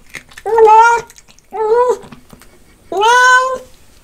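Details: Pet cat calling out while it eats fish: three drawn-out harmonic meows about a second apart, the last one rising, with faint eating noises between them.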